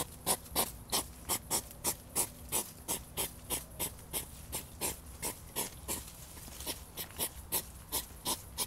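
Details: Hedgehog in a mating encounter, a scuffle between European hedgehogs. A long run of rhythmic huffing snorts, roughly three per second, steady and breathy, with some slight lower-pitched body in a few puffs.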